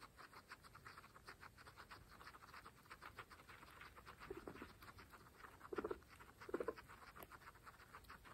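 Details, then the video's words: Pregnant female guinea pigs from a group of 26 munching fresh grass: steady crisp rapid chewing clicks throughout, with three short low squeaky grunts in the last half. "Pregnant Guinea Pigs fresh grass Mukbang (ASMR)"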